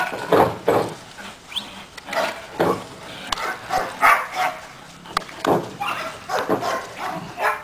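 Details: Caiman, a seven-month-old Belgian Malinois, during obedience training; sharp broadband barks come in irregular bursts across the clip, some in quick pairs, with no other clear sounds.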